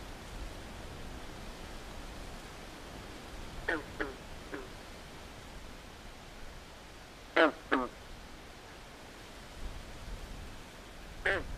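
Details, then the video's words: Fainter swamp frogs at night, croaking in brief duck-like pairs and triplets separated by long gaps, over a soft broadband hiss. "Natural Ambient Sounds Of Frogs At Night"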